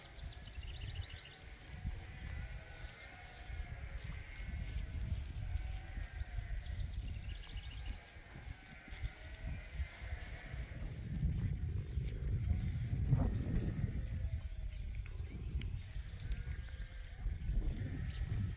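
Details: Yearling rams at Ewetopia Farms on a spring morning, let out to fresh pasture for the first time this year; a few wavering, harmonic bleats rise over steady low trampling and farmyard rumble.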